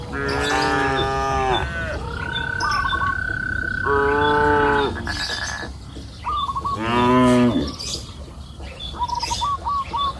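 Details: Cows grazing on a green pasture hill in the afternoon, giving three long, deep, harmonic moos of one to two seconds each. A steady high whistle-like tone and quick chirping birdsong run between the moos.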